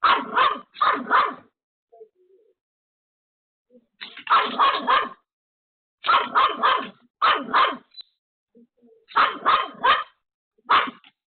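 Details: Pomeranian named Pomeko, home alone, barking frantically at a sudden visitor: bursts of three to five sharp, rapid barks separated by short pauses, repeated steadily throughout with faint thuds between bursts.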